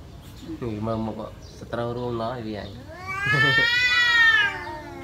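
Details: Two domestic cats fighting over a female in a village: low moaning growls rise into a long, loud, harmonic-rich yowl that climbs and wavers near the end.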